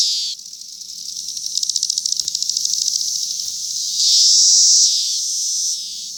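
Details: Cicadas on a cherry tree in 2021: a continuous high, hissing buzz, with a stretch of rapid rhythmic pulsing in the middle and a louder, steadier whine swelling near the end.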